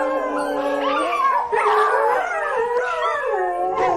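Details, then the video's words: Several dogs howl at once, long quavering notes gliding up and down and overlapping, one sustained lower tone running through the chorus. "Köpek Uluma sesi/dog Howling sound"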